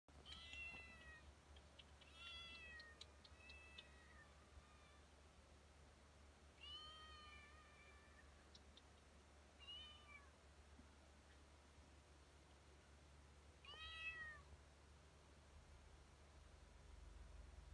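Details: Domestic cats and kittens, part of a playful baby-and-cat compilation, giving repeated arched, harmonic-rich meows in short bursts near 0–4, 7, 10 and 14 seconds, over a steady low indoor hum.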